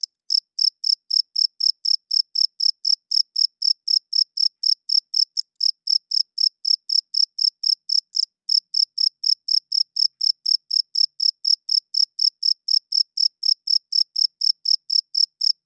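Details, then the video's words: Cricket chirping loudly at night, a male producing the sound with his wings: high, bright pulses repeated about four times per second in a steady train with one brief break, over an otherwise silent background. "Cricket Chirping Sounds - Cricket klinkt 's nachts luid"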